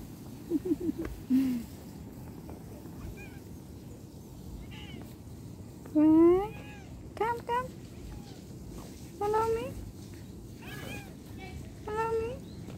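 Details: Domestic cat during a hard separation, meowing repeatedly: about seven short calls, some rising and others steady, spread over thirteen seconds with quiet gaps between them, over a low background hum.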